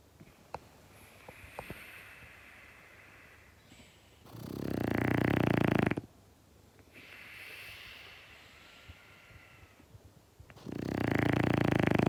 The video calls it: Snoring French Bulldog Prevents His Human from Napping